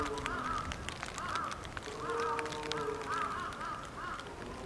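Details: Polar bear cub Lila, a nine-month-old female at Maruyama Zoo, Sapporo, Hokkaido, Japan, fussing apparently from hunger during typhoon wind and rain near 11 a.m., October 2, 2015. Arched, nasal cries repeat about once a second over a steady musical tone.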